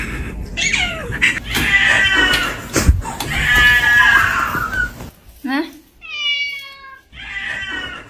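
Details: Pet cat meowing indoors, long strained caterwaul-like meows overlapping human talk, then a clear, rising, nasal meow near the end after a brief quiet moment.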